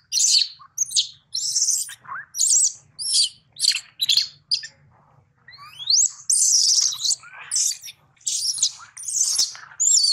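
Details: A baby monkey, taken from its mother by another monkey, gives shrill, high squealing cries in rapid bursts, calling for its mother.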